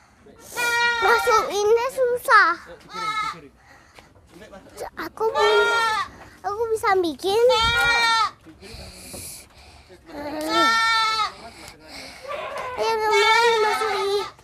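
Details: Young goat that is hard to catch, bleating while a child plays with it: quavering, wavering bleats at irregular intervals, interleaved with children's voices and talk.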